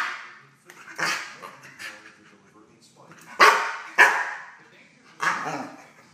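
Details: Prince, a 10.5-month-old dog, barks at an intruder in his kennel: four loud, harsh bursts spaced irregularly about a second apart, the middle two close together, with quieter rustling and faint voice-like sounds between them.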